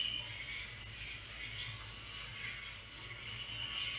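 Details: Crickets chirping at night, a steady piercing trill with rapid pulses and no pauses, with light low bubbling beneath.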